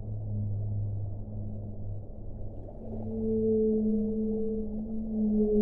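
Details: Whale song of long, steady low moans layered in harmonic bands, a deep drone giving way to a higher sustained tone after a few seconds, set against a muffled underwater-like hiss.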